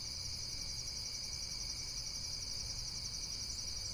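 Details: Insects in a relaxing nature setting: a steady, high-pitched shimmering trill pulses without a break, layered over a soft low rumble and faint background hiss.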